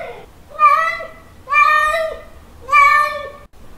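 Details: Male domestic cat giving its mating call to a female: three drawn-out, wavering, nasal yowls, each nearly a second long, with pauses of about half a second between them, in a quiet indoor room.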